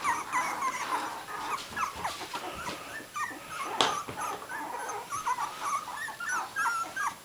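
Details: A litter of puppies at three weeks old, eyes newly open, produces overlapping high-pitched squeaks and whines throughout, with soft shuffling and scratching noises underneath.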